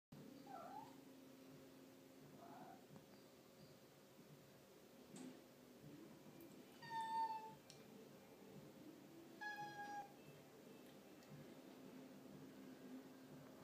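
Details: A white domestic cat gives a few plaintive meows, calling out while looking for her owner.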